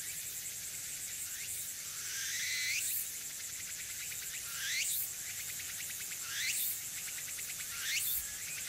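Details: Loud tsukutsuku-boshi cicada close by on an early-autumn afternoon, 6 September 2022, Furuta Magarikawa, Nishinoomote, Tanegashima: strong upward-sweeping pulsed phrases roughly every 1.7 seconds, each swelling in volume, over a steady high drone.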